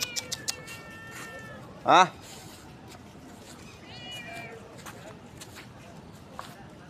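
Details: Cat that lives in an office, outside at midnight and fed biscuits from a shop; a loud, sharp rising meow midway, with fainter meows before and after, and a man calling it in between.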